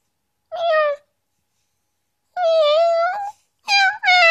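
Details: Female pet dog giving meow-like calls indoors while her owner teases her: three drawn-out, tonal wails, the first short and slightly falling, the second longer and level, then two quick rising cries at the end.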